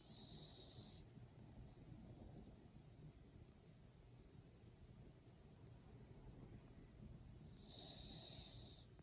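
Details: A one-year-old female Chihuahua-Pug mix dog snoring while asleep indoors: soft, low, rhythmic rasping breaths, with a brief high hiss at start and end.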